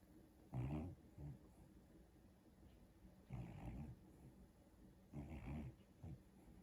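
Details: Pet dog asleep on the back of a couch, snoring and whining while dreaming: three soft, low, rasping breaths roughly every two and a half seconds, with faint hiss between them in a quiet room.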